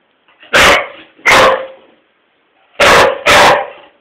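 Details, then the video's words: English Springer Spaniel named Tobi, a pet dog, barking at its owner for no apparent reason: four loud, sharp broadband barks, a pair near the start and another pair after a pause of about a second, with quiet gaps between. "springer spaniel barking"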